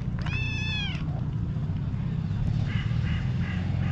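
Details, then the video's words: Hungry stray white tabby she-cat meowing for attention near the people she missed: a single clear, sustained meow early on, level in pitch and tapering off, followed by Turkish speech urging her to jump. "White Tabby Cat Meowing Loudly For A Long Time"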